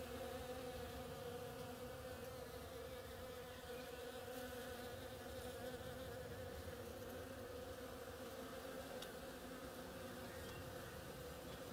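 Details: Bees working the flowers of an oriental creeper, their massed buzzing forming a steady, unbroken hum with a strong droning tone throughout, no pauses, and no other clear sounds.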